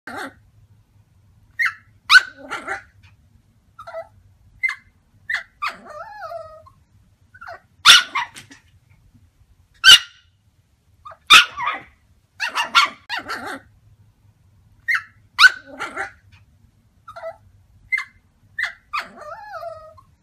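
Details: Yorkshire Terriers barking in sharp, high yaps, sometimes in quick doubles or triples, with short whiny tails between bursts, spread irregularly over twenty seconds; a faint low hum runs underneath.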